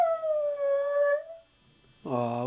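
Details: Husky "talking", reportedly wanting his mommy: a steady, slightly falling howl-like moan lasting over a second, then a short pause and a different strongly harmonic sound at the end.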